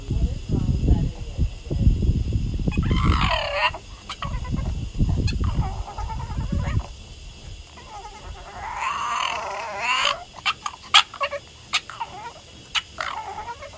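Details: A female Boston Terrier gives wavering, whiny vocal bursts that rise and fall like sassy grumbling talk-back, crying at her owner.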